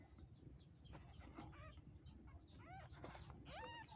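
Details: Newborn kitten, zero days old, asking its mother for milk: thin arched mews with stacked overtones, rising then falling, a few scattered early and then several in quick succession near the end, over a steady low rumbling background.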